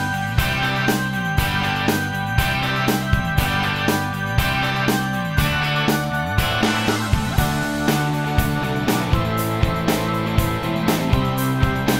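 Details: Upbeat rock music with guitar and steady drum beats runs throughout; no animal sounds are heard.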